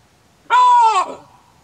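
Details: Chacma baboon: a single short, loud, hoarse bark, steady in pitch and cut off sharply after about half a second.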